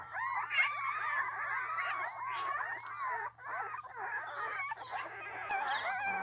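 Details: Male and female Mudhol Hound puppies giving continuous high, wavering whines and whimpers that overlap and slide up and down, several voices at once with brief pauses, over a faint steady low hum.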